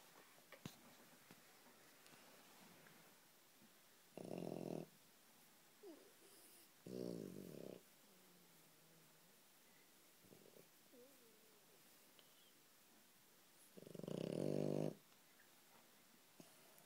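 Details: A French Bulldog snores with his eyes open, in loud, rattling bursts separated by quiet breathing pauses.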